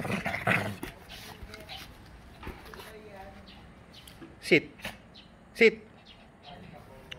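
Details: Prada, a female Shih Tzu playing basketball in a home garden, lets out two sharp, loud barks about a second apart late in the clip. A person's voice and quiet outdoor background noise come before them.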